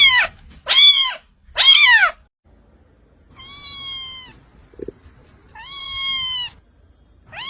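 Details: Kitten meows calling for mother and food: three quick, sharp, arched cries, then two longer, steady, whining meows after a pause, with a small tap between them in a quiet indoor setting.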